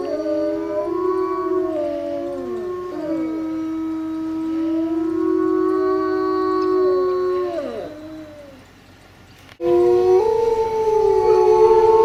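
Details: Dog wanting to go for a walk howls in long mournful phrases, each sliding downward at the end, repeated several times; the sound fades to near silence, then a fresh loud howl rises again.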